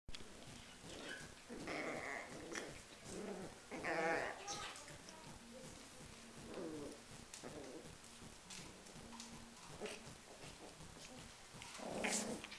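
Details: Schipperke dogs in a fight: short bursts of harsh, strained yelps and growl-like cries at irregular intervals, louder around the middle and the end, over a rough, noisy background.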